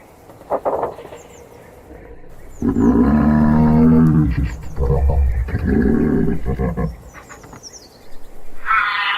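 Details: A giraffe gives a sustained deep hum with rich overtones, then a shorter second hum, ending with a breathy snoring rasp; faint high chirps trickle down in the background.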